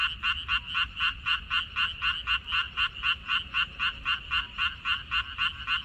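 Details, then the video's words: Frog chorus from a minari field on 14 May 2021: evenly spaced, raspy croaks pulsing about four times a second in a very regular rhythm, over faint low background rumble. "고향 생각 나게 해주는 개구리 소리, 미나리밭의 그놈들"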